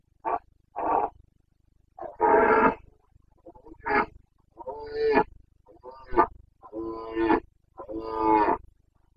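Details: Boncănit, the breeding-season roaring of a Carpathian red deer stag in Bucovina, 29 September 2022: a loud chain of eight rasping, richly harmonic bellows, each a second or less, repeated with brief gaps.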